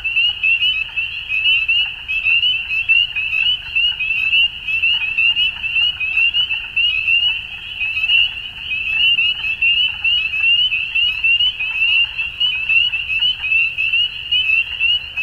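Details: A dusk chorus of frogs, many voices layered into a continuous high-pitched trilling wash, punctuated by short upswept chirps and soft clicks, with a quiet low hum beneath.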